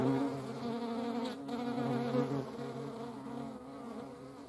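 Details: European hornet flying among honeybees, a low steady droning buzz layered with higher, denser humming from the bees, both sustained throughout with slight wavering in pitch.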